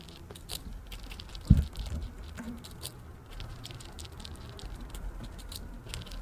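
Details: A pet female Richardson's ground squirrel, born April 2023, spins and eats freeze-dried strawberry indoors. Soft, rapid nibbling and wet crunching, with one sharper thump early on in a quiet room.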